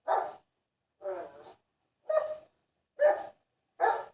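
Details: Dog barking: five loud, sharp barks spaced about a second apart, each a short harsh burst, in an otherwise quiet setting.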